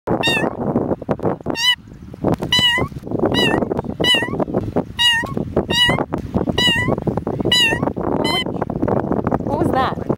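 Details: Cat meowing up a storm at a park on June 24, 2009: loud, drawn-out meows with rich harmonics, each slightly rising then falling, repeated about every 0.8 seconds, twelve in all, over steady broadband outdoor noise and low voices.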